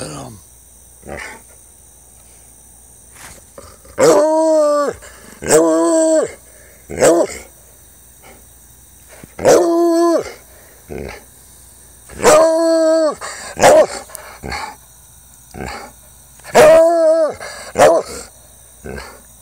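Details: Jax, an almost four-year-old male Treeing Walker Coonhound, howls and bays while having fun: drawn-out harmonic howls, some wavering, come in bursts about every two to three seconds with short yelps between.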